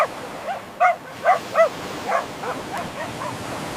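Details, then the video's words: Playful puppies on fresh green grass, running and play-fighting, let out a quick string of four or five high, squeaky yips that fade into softer whimpering barks. "Dog barking sounds"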